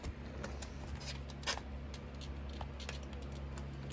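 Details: A steady low indoor hum with faint scattered taps and clicks, and no animal sounds.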